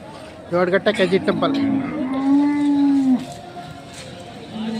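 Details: Hallikar cattle at the K G Temple cattle market, held every Monday in Gubbi taluk, Tumakuru district. After a burst of short voices, one long, steady, low moo is drawn out for about a second, then fades into market murmur.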